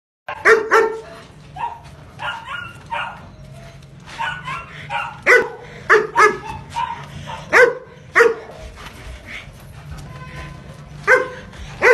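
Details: Long-coated German Shepherd barking in loud, sharp bursts, sometimes single and sometimes doubled, about a dozen barks spread unevenly across twelve seconds over a steady low background hum.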